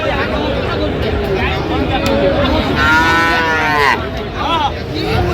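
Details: Friesian and crossbred bull calves traded at the Raniganj market in Dinajpur, 25 January 2026, while a price is negotiated. A single full-throated moo of about a second stands out, followed by a brief nasal call, amid dense market hubbub.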